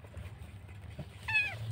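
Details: Kitten left alone by the roadside, possibly dumped or separated from its mother, crying during a rescue: after quiet low background rumble, one short, falling meow near the end.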